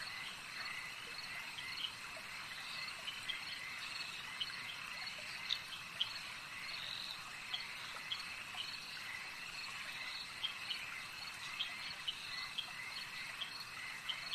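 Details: A lakeside frog chorus: many overlapping high-pitched trills form a continuous shimmering band, with sharper clicking notes standing out now and then, against faint low environmental rumble.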